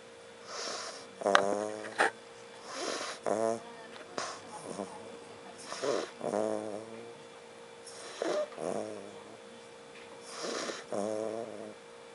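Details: Derek, a pet dog that likes to sleep anywhere, snoring while asleep indoors: rough, buzzy snores with a nasal, harmonic edge come in bursts about every two seconds, each trailing off into quieter breathing.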